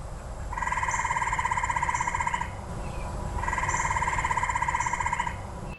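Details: Gray treefrog in the eastern US, often around houses and backyards and not always near large water, gives two loud, musical, bird-like trills of about two seconds each, rapid pulses at a steady mid pitch, with a brief pause between.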